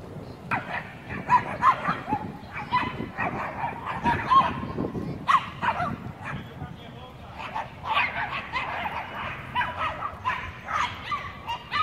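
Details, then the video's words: Gang of Chihuahuas defending their turf against a Pit Bull and a German Shepherd Dog; rapid, overlapping high yappy barks throughout, several dogs at once, with a man talking over the din. "Gang of Chihuahuas protects their turf against a Pitbull & GSD!"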